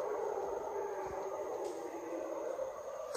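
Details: Howler monkeys in Panama's mountain forest in the afternoon give a steady, deep, breathy roar that rolls on without a break.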